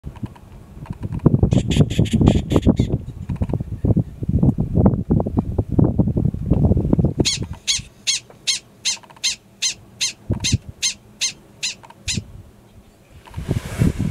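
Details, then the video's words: Gunnison's prairie dog, a yearling male, alarm calling in grassland at Valles Caldera National Preserve, New Mexico, April 2017; loud wind rumble fills the first half, then a steady series of about thirteen sharp, high chirps follows. "Prairie Dog Alarm Call"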